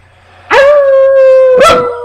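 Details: Pet dog howling along while its owner sings: one long, steady, level tone held for about a second and a half, opening and closing with brief louder bursts.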